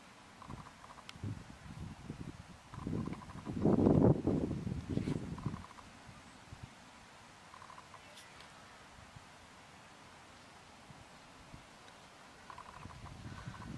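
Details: Red deer during the rut at Tatton Park, October 2015, filmed on a Canon 70d with a Sigma 150-600mm lens: a deep, rough roar swells and peaks around the middle, then fades into quiet outdoor background with faint ticking.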